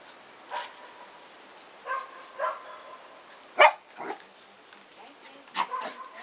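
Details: Shiba Inu puppies, 109 days old, three brothers playing with Peko, a visiting seven-month-old female Shiba, on their last day together; scattered sharp yips and short barks, about six bursts with quiet gaps, one louder bark near the middle.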